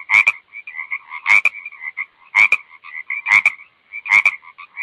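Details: Croaking frog with abrupt, crackling double croaks roughly every second, set against a continuous purring trill in the background.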